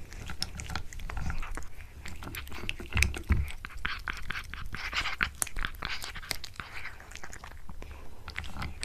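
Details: Close-up of a pet cat eating a tuna mini stick in a small room: rapid crisp bites and smacking chews, irregular and continuous, followed by a quiet human murmur.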